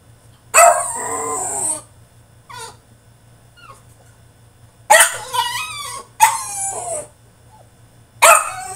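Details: French Bulldog throwing a tantrum in his cage, mixing harsh barking yowls and wavering whines in bursts, a long one at the start, then three closely spaced outbursts after a quieter stretch of small squeaks.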